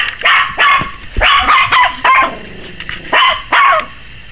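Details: Frantic barking from Maggie, a 21-week-old Yorkshire Terrier puppy apparently scared of the camera: a rapid string of high, bright yaps, some doubled, about one every half second, then a short lull and two more.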